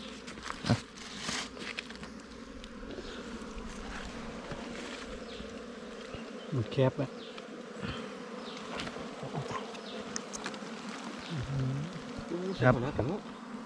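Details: Wild bees droning around an opened nest during a honey hunt as the honeycomb is harvested; a continuous low hum persists beneath scattered thumps, rustling and handling knocks.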